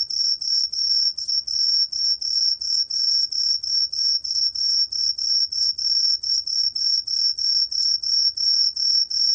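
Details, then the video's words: High, clear ringing chirps of the Cheongsol cricket, a 2020 National Institute of Biological Resources recording from Korea; short tonal pulses repeat roughly three times a second in an even, continuous train, with a faint lower overtone. "청솔귀뚜라미, 여러번 듣기, 곤충소리"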